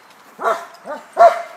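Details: Bulldog at a dog park giving three loud, short barks spaced roughly half a second apart, the last the strongest and ringing slightly.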